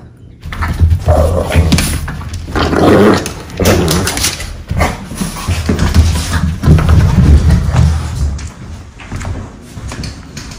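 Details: Pair of Boston Terriers wrestling in play indoors, tumbling and using their shoulders: rapid, gravelly growls and grumbles in uneven bursts, with soft thumps and quiet music behind.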